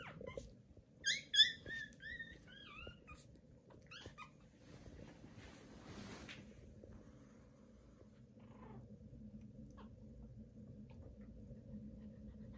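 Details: Thin, rising and falling squeals from newborn Pomeranian puppies crowd the first four seconds, a few sharply louder, followed by a long stretch of near silence with faint low hum.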